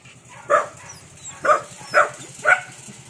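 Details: A Belgian Malinois from a pack of Belgian Shepherds kept as guard dogs gives loud, sharp barks, four in quick succession about half a second apart.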